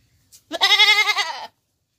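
A goat gives a single wavering, nasal bleat lasting about a second.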